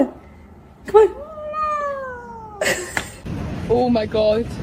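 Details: A pet cat gives one long, drawn-out meow that starts with a sharp onset and slowly slides downward for about two seconds, followed by a clatter and brief human speech.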